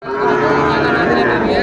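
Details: Sahiwal bull calves at the Aftabganj cattle market in Dinajpur, Bangladesh, on Saturday 29 June 2024; one loud, steady, sustained low moo lasting about a second and a half, dominating the market bustle.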